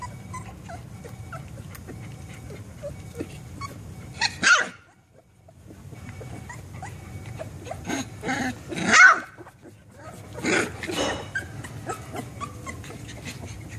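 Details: Three-week-old Labrador Retriever puppy growling and barking for fun while litter mates settle after a feed from mom; high squeaky yips burst out twice with pauses, over low background hum and soft rustling.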